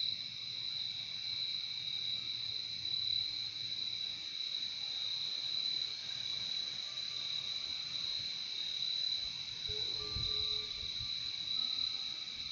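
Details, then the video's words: A continuous high-pitched chorus of crickets, two steady trilling bands running unbroken for the whole stretch; near the end a faint thin tone and a brief soft low thump sit beneath the insect drone. "Relaxing sound of crickets"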